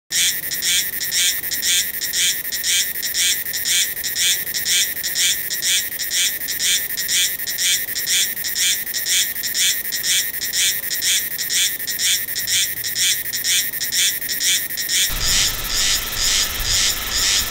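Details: Meimuna cicada singing in Taiwan during November and December, a duck-like quacking rhythm: loud buzzy high pulses repeated about twice a second, steady and regular throughout, with a brief tonal shift near the end.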